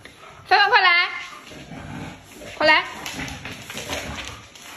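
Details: Chow Chow puppies giving two short, high whining yelps that rise and then fall, one early and one later, with soft indoor background noise between them.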